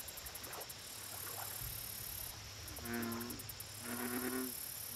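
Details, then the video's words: Lakeside bullfrog voice: two low, humming, harmonic croaks arrive late in the clip, one second apart. Earlier come scattered soft chirps, with constant high-pitched insect buzzing and pulsed clicking throughout. "Bullfrog Lake Audio Only"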